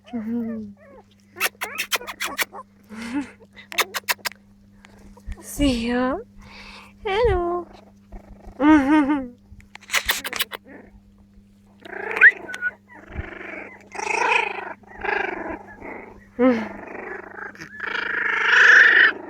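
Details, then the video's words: Litter of 4-week-old Jack Russell terrier puppies, 28 July 2013: rising and falling whines and yips, some wavering, mixed with human voices talking nearby and scattered clicks. "4 weeks old jack russell puppies"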